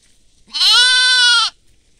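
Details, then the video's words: A goat in a field where goats and sheep are feeding gives a single loud, steady bleat lasting about a second with a slight quaver, against a quiet background. "goat sounds"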